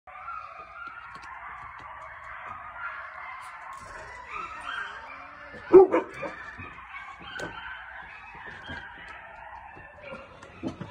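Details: Coyotes howling and crying at night, a chorus of overlapping wavering, quavering howls and yips held steady for eleven seconds, with a burst of sharp clicks and knocks around the middle.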